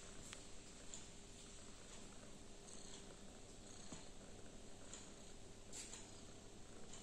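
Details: Female cat purring while deciding between playing and sleeping: a steady, soft, low rumbling purr, continuous throughout, with faint clicks and a light background hiss.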